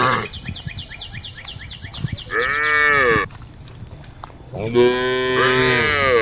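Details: Cows wandering on a road at the forest edge call to the herd: two long, harmonic moos, the second fuller and steadier, after a run of rapid, high repeated chirps in the first two seconds.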